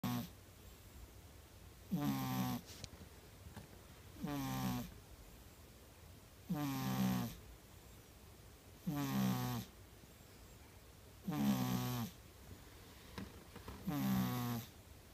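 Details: A white female Persian cat napping gives a low snore in slow, rasping breaths, each lasting about a second, roughly every two and a half seconds.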